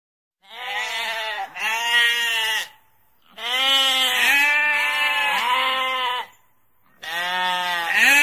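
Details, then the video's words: Sheep bleating in three bursts, each a pair of quavering, harmonic-rich bleats run together, separated by brief silences; no other sounds are heard. "Animal sounds around: cats, parrot, ducks, sheep, wasp, dogs, horses, monkeys, elephants, pigs"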